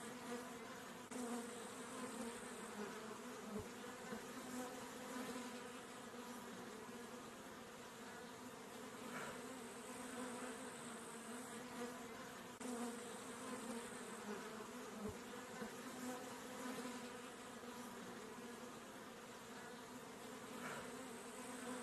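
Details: A honey bee, filmed close up while drinking honey, gives a soft, steady humming buzz. The buzz holds a constant low pitch throughout with a faint airy hiss, and occasional small clicks break in.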